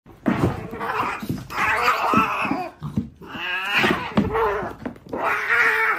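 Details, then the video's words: Domestic cats fighting, a compilation of cat fights: harsh noisy screeching bursts alternate with wavering yowls in several loud bouts, separated by short pauses and thumps of scuffling. "Cat Fight Compilation Video"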